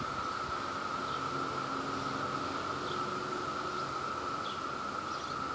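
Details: Peak Brood II cicada chorus in New Jersey, insects seeking mates: a dense, level whirring drone fills the whole stretch with no breaks, only a few faint high chirps barely showing above it.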